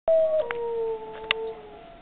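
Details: Pet dog howling in response to tornado siren testing, the only time it howls: a loud sustained wail that steps down after a short opening note and then holds steady, with a steady siren tone droning underneath and a few faint clicks.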